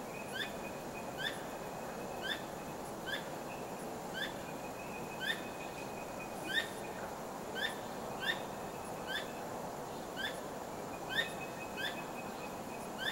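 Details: Night-time squirrel calls: a steady run of short, piercing rising notes about once a second as the animal keeps flicking its tail, backed by soft hiss and an intermittent thin high tone.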